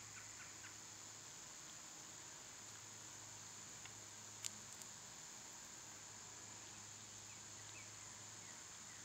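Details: Cicadas singing in summer, an even high-pitched hiss holding constant the whole time, with scattered faint chirps early on and a couple of sharp clicks about halfway through; low hum underneath.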